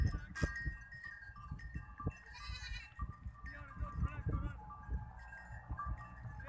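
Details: Herd of goats returning home from the forest in the evening: scattered wavering bleats rise above a busy background of hoof clatter and rustling movement, with thin high calls overlapping through the clip.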